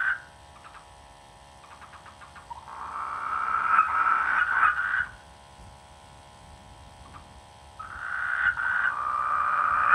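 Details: In rainy-season rice fields, frogs produce scattered short pulsed croaks, then long buzzy rasping croaks lasting about two seconds, with a faint steady hum beneath.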